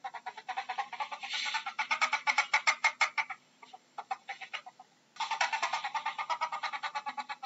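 A ferret gives rapid, chuckling clucks in quick bursts, with a brief pause midway.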